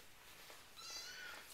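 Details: A single thin, slightly rising mew from a four-week-old RagaMuffin kitten in the Winter Wonderland litter, sounding over a steady hiss of background noise.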